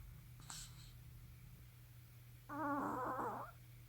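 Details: A sleeping puppy talks in its sleep indoors. After a faint click, it gives a wavering, harmonic whimper lasting about a second against a low steady hum in the room.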